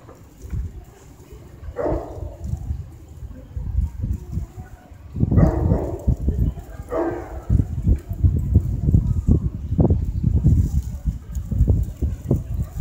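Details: Adult male Great Pyrenees from a breeder at the 2015 North Kanagawa speciality show, giving three gruff, low barks spaced a few seconds apart, with steady thumping handling noise and muffled crowd murmur throughout.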